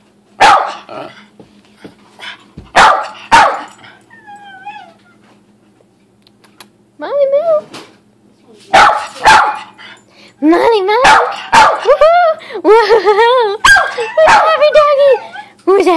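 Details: Excited thirteen-year-old female Cairn Terrier barking at six in the morning for no clear reason; sharp barks in quick pairs and runs, then a stretch where a woman's cooing voice talks to the dog between barks.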